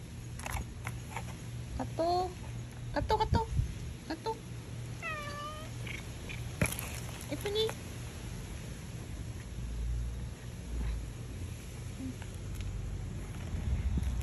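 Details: Several cats fed tonic food: a few brief meows, one a clear wavering cry in the middle, among clicks and dish sounds, with a constant low hum throughout.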